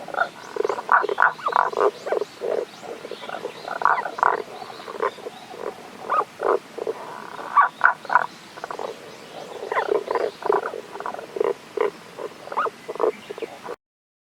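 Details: Tago's brown frogs calling from a ravine stream in the Kanto region, Japan, on 1 April 2021, the frogs unseen; short low croaks given in rapid irregular bursts, several overlapping, continuing steadily throughout.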